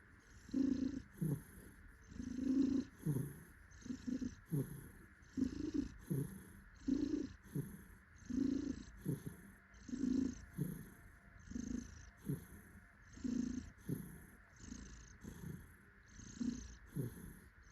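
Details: Pet tuxedo cat purring with pleasure while its owner cuddles it; strong, continuous low rumbling comes in regular pulses about every second, steady throughout.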